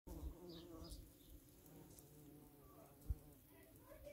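A violet carpenter bee drones with a deep, steady buzz that hums on without a break.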